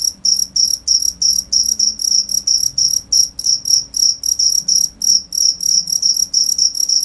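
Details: Persistent cricket chirping, high trilled pulses about three per second with a higher overtone; faint low murmuring sounds in the background.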